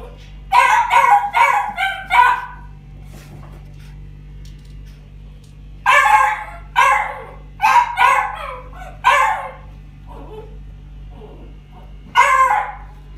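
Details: Female white-black-and-tan Chihuahua puppy, born August 2019, barking in quick bursts of sharp, high yips: a cluster of four or five in the first two seconds, another string from six to nine seconds, then a lone bark near twelve seconds, over a steady low hum.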